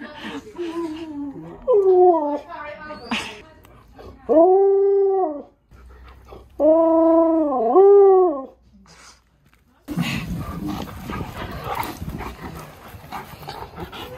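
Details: Siberian Husky visiting a friend's house, giving wavering, talkative howl-like vocalizations in the opening seconds, then two long drawn-out calls that arch up and fall back, each lasting one to two seconds, followed by rustling noise at the end.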